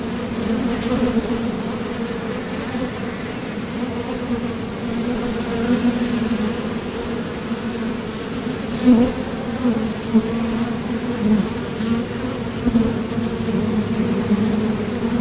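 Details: Foraging honeybees crowd the entrance of a Top Bar Hive, their thoracic flight muscles producing an even, low buzzing drone, with brief louder pulses as bees land or take off near the recorder.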